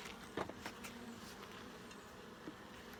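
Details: Honey bee hive under full inspection: a constant droning buzz from many bees, punctuated by a couple of brief clunks near the start and a soft knock later.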